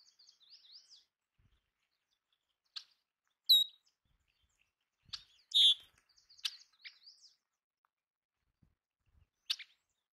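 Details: Belding's ground squirrels, also called sage rats, feeding on bird food: two loud, brief, sharp squeaks stand out, each a high tonal note with overtones, among soft bird twittering and scattered clicks.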